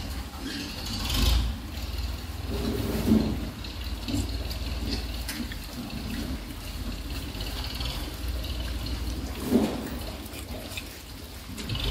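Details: Running and splashing water fills the recording, with a few louder gushes and no animal calls.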